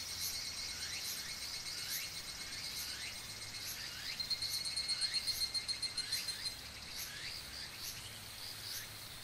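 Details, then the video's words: Chorus of higurashi cicadas recorded in Oku-Mikawa: high, ringing pulsed calls overlap with bright ticks about twice a second. A louder, rapidly pulsed burst swells in the middle, and faint falling chirps sound below. "ヒグラシ(Tanna japonensis)の鳴き声"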